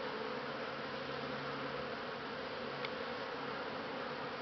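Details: Honey bees in December, recorded on Christmas Eve 2015, giving a steady, even hum with a low drone running throughout and no clear breaks.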